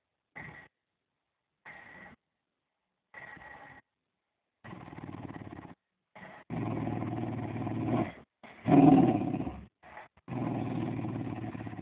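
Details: Playful fox terrier with a toy: a few short thin whines at first, then long continuous rough growls building in loudness, with one harsh peak and sustained rumbling toward the end.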